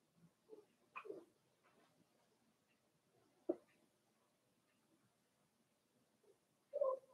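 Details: Litter of four-week-old Cavalier King Charles Spaniel puppies belonging to Daisy, kept in an indoor pen, letting out scattered squeaky whimpers, one sharp yelp midway and a louder drawn-out whine near the end, over soft rustling.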